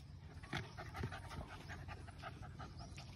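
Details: Labrador Retriever panting as it meets new friends, including a cow; quick breathy huffs repeat about three times a second over a steady background hiss.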